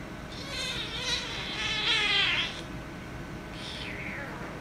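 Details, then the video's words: Angry kitten fighting with a calico cat: a long, strained, harmonically rich meow that swells and wavers for over two seconds, then a shorter falling meow, over low background hum. "Kitten Wants To Play With Calico Cat But Kitten Became Angry & Cats Fighting - Cats Meowing"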